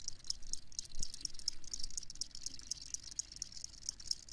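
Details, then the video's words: Crickets chirping in a dense chorus of quick, irregular high-pitched ticks and pulses, around two per second, over a low steady background rumble. "Crickets Chirping"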